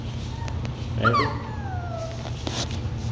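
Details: A small Labradoodle puppy from a litter expected to be standard size lets out a single sharp whimper that starts high and glides down into a long, falling whine. A steady low hum sits underneath.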